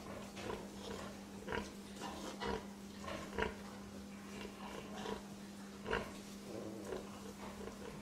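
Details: Domestic pig giving quick, rough grunts roughly once a second, some louder and some softer, set against a constant low hum.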